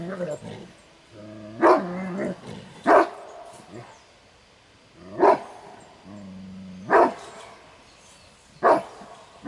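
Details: A Kuvasz barks in deep, sharp single bursts every couple of seconds, defending its territory and its owner's property during a territory-defence test at a Kuvasz competition.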